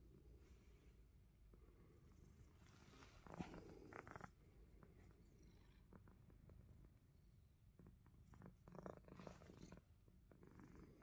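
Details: A Himalayan Persian cat purrs while nibbling fingers, a low throbbing drone holding steady across the whole stretch, with short bursts of rustling and clicking around the middle and near the end.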